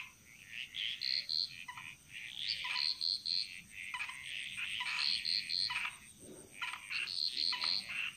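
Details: Bali jungle frog chorus echoing through the forest, dominated by bright high-pitched pulsed trills repeated in quick clusters, with lower croaks scattered between and a continuous high insect drone behind.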